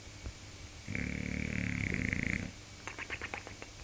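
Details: Snoring bulldog called Ron gives one drawn-out, rattling low snore of about a second and a half, followed by a quick series of short sniffing snorts.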